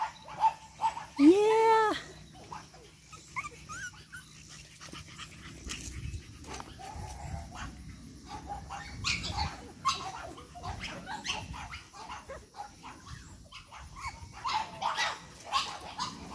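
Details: Eight-week-old Boston Terrier puppies from one litter, energetic; a high, arching whine near the start, then scattered small yelps and scuffling while a person repeatedly tells them to stay over here.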